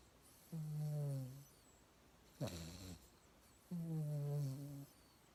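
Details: Yangyang, a mixed-breed pet dog, snoring in sleep now even while exhaling; two sustained low droning snores over a second long separated by a short harsh snort, quiet indoor setting.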